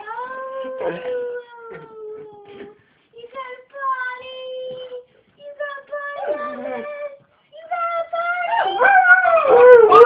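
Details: Atlas, a pet dog, singing his potty song: a string of thin, sustained whining notes with brief gaps between them, building at the end into a louder, rising and falling yowl.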